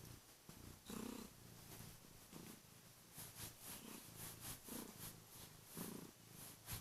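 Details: Kurilian Bobtail cat waking its owner each morning: after waiting at the bedroom door, it leaps onto the bed, purrs loudly and nips the hands lightly. A deep rumbling purr swells and fades in even, rhythmic pulses, with light rustling of bedding.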